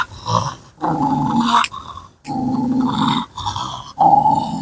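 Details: Kombai dog faced with a challenge, giving long rumbling growls in repeated stretches of about a second each, separated by brief breaths, with snarling overtones.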